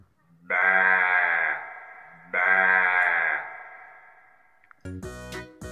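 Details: A lamb gives two long, quavering bleats, each about a second, rich in harmonics and about two seconds apart. The second trails off slowly, then a brief burst of music follows.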